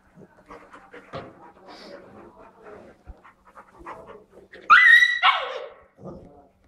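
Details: Labrador playing with a Husky puppy in a living room: soft scuffling and low murmurs, then one loud, sharp, high yelping bark burst lasting about a second, followed by a brief quieter yip.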